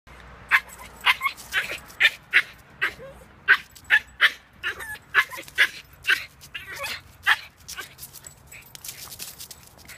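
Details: Schipperke; barking; upset at being left behind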